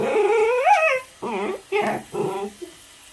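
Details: Baby Pembroke Welsh Corgi objecting to brushing, giving a long rising whining yelp followed by three shorter wavering whimpers, each fading in pitch, with a quiet room behind.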